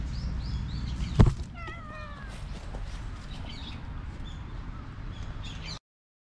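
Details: Stray black cat, pestered until it hit back, lets out a brief wavering meow after a sharp knock, recorded with a GoPro HERO8; low rumbling noise runs underneath until the sound cuts off abruptly.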